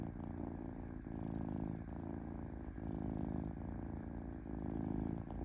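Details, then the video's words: Domestic cat purring gently, a low grainy rumble repeated in even breath-length swells close to once a second, with no other noises. "Cat Purring Smoothly"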